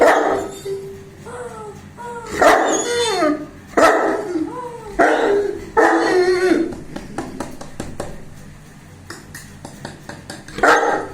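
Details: Bruno, a 21-month-old Saint Bernard, barking while playing on 19 September 2019: a run of deep, rough barks with yelping upward-bending tones between them, then fainter clicks and a final bark.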